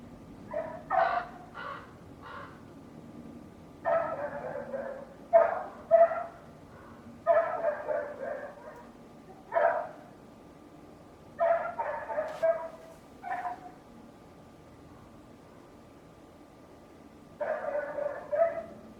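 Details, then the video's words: A neighbour's dog barks in loud bursts of rapid yaps, clustered in groups of two to four with short pauses between, while an annoyed person mutters nearby. "Neighbor's annoying dog noise"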